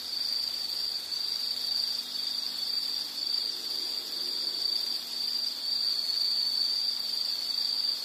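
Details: Continuous high insect trill from natural scenery, an even shrill buzzing band that barely wavers over eight seconds, with faint low background hiss.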